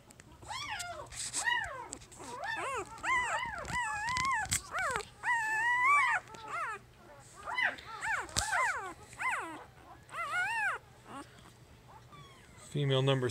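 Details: Jig's puppies at three days old, a female among them, whimper and squeal in rapid, rising-falling bursts. Faint speech is heard between the cries, with a low hum underneath.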